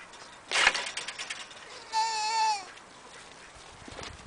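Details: Cameroon goat giving one wavering, nasal bleat of about half a second, steady in pitch with a slight quiver, just after a sharp noisy clatter; faint background rustling before and after.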